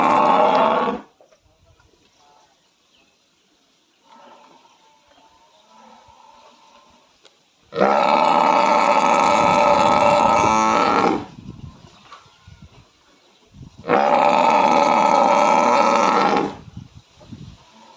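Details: A buffalo gives three loud, sustained, moaning calls. The first is brief, and the next two each last about three seconds. Quieter rumbling and background noise fill the gaps.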